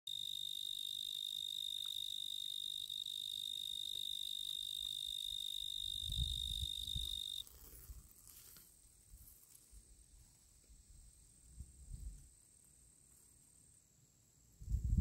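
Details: A male tree cricket (genus Oecanthus) sings a steady, high, pure trill that stops abruptly halfway through as he withdraws.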